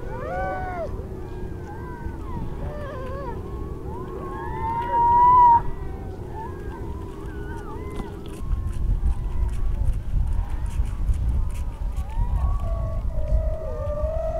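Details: Harp seal beside a newborn yellow-coated pup, about half an hour to an hour old, that approaches to sniff the recordist; overlapping wavering, moaning tonal wails, some rising then falling, with steady low wind rumble throughout.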